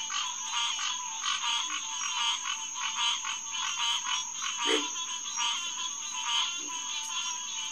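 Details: Hyla cinerea, the green tree frog, calling in a pond chorus around 9 pm in early June: rhythmic nasal honks repeating about every second over a steady high hum, a short lower croak midway.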